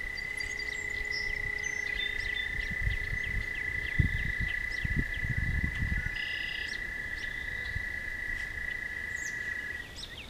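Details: Toads trilling at night near a walking path: a sustained steady trill continues, then stops near the end, with brief high chirps above and soft footsteps and rustling below.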